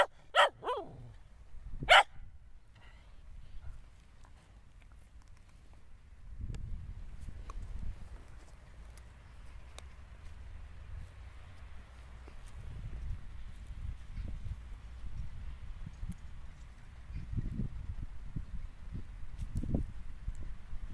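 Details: Cocker Spaniel giving about three sharp, loud barks in the first two seconds, followed by a long stretch of low rustling and thumping.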